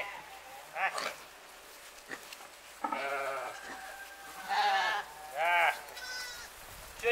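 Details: Bottle-raised Romanov lamb, six months old, giving several short, quavering bleats of varying length, some rising then falling, mixed with a person's speech and faint clicks and rustles on a warm 26-degree day.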